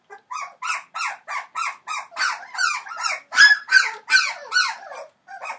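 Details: Three-week-old Entlebucher Mountain Dog puppies, offspring of Shadow and Falk vom Kornried, give quick repeated high whines and squeaks that grow louder and more strained midway, then trail off near the end.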